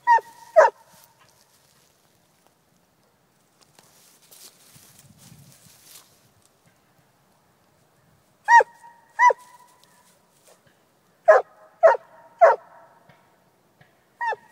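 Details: Coonhound giving bursts of loud, ringing barks. A quick pair opens the recording, followed by a quiet stretch with faint rustling. Then come another pair, a rapid run of three, and a final bark, each abrupt and falling slightly in pitch.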